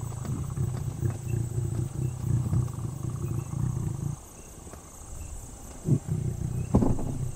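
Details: Wild lion at night in Kenya's Mara conservancies, heard close from a safari vehicle: a deep, low moaning roar holds steady for about four seconds, then fades. Shorter low grunts follow near the end.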